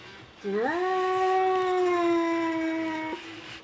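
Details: Frightened cat indoors giving one long tonal yowl, rising briefly at the start and then holding steady for about two and a half seconds before cutting off, over faint room noise.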